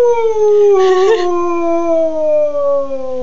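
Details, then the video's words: Indoor pet beagle gives a long drawn-out howl that wavers briefly, then slides slowly downward in pitch for over two seconds, harmonics strong throughout; an owner talks quietly nearby. "the Howling Beagle"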